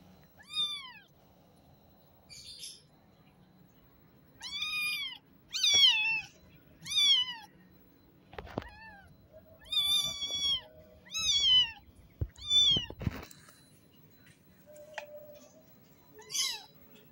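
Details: Newborn kitten calling its mother with thin, high, rising-then-falling mews, about a dozen in seventeen seconds, mostly in uneven pairs, with soft rustling and a few sharp knocks.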